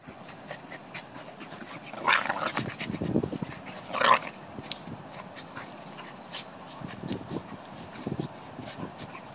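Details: A male Staffordshire Bull Terrier puppy gives low, rumbling play growls with sharp yips while wrestling a male Corgi puppy in rough play, recorded in summer, 21 July 2015.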